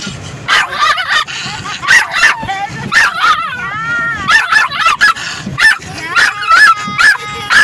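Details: A female Yorkshire Terrier in a car gives rapid, high-pitched yapping barks and whiny yips, angrily barking and howling at the moving windshield wipers, which she hates.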